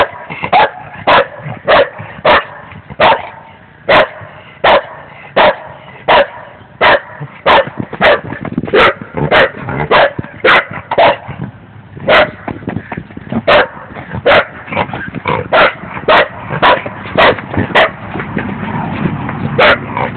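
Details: A dog named Scooby barking in a rapid, steady series of loud, sharp barks, roughly two each second, with softer yips and whines between them toward the end.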